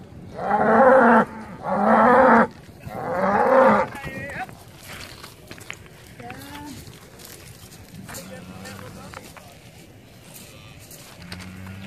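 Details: Hereford cows with calves, eleven animals shipped from Tåsinge to Skarø on 13 April 2016 for a summer of grazing; three loud, rough bellows about a second apart, then fainter distant moos and talking people.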